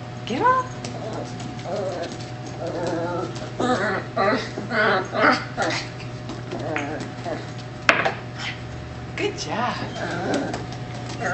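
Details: Chihuahua playing pool indoors, letting out a run of high, wavering whines and yelps in short bursts, mixed with a person's encouraging speech and background music.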